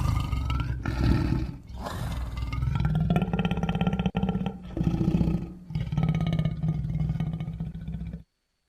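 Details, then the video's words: Wild lions roaring loud: deep, drawn-out roars in several long bursts of two to three seconds, separated by short breaks, with strong low rumbling tones throughout. "Som de leões rugindo alto,lion roaring loud"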